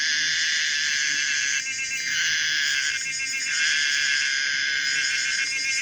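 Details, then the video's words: Common cicada Pomponia linearis singing: a loud, continuous electric buzz with bands stacked from low to very high pitch, broken by brief pulsing surges near two, three and five seconds. "the weird sound of the common cicada pomponia linearis"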